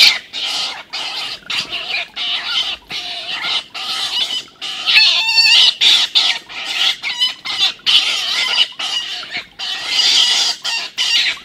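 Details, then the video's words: Stone martens in a fight: older, larger Milton attacks the youngster Martin, recorded on 21-04-18. Continuous harsh, buzzy screaming with rapid chattering pulses, broken by brief gaps, fills the whole stretch. "Milton beats up Martin bad (Stone marten/Steinmarder/Husmår)"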